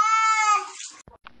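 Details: Freaked-out kitten in a bath utters a clear, level meow lasting about a second, tapering off, then brief clicks and a short laugh-like sound.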